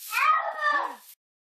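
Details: Pet cat being bathed under a shower, wanting out; one drawn-out wavering yowl about a second long, rich in harmonics, fading at the end.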